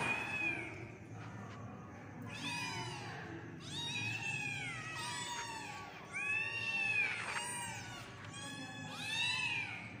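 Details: A group of kittens calls insistently, with bursts of shrill, strongly harmonic mews arching up and down, clustered every second or two with brief gaps between.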